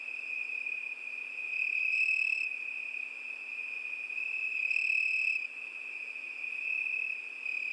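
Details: Nighttime summer crickets: one steady shrill trill runs underneath while a second insect adds two brief, higher buzzing bursts about three seconds apart.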